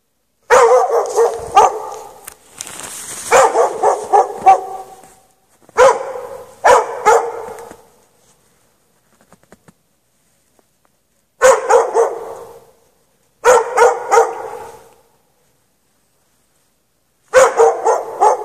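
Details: Chained outdoors in snow at night without shelter for hours, 3 March 2014, a dog barks in bursts of two to four rapid, echoing barks separated by silences of several seconds, with a few faint clicks in one quiet gap.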